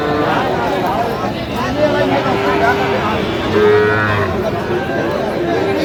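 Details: Sahiwal bull calf at a cattle market, bought by a farmer from Noakhali, Bangladesh, on 27/8/25. A short, low moo is heard amid constant crowd chatter and market noise.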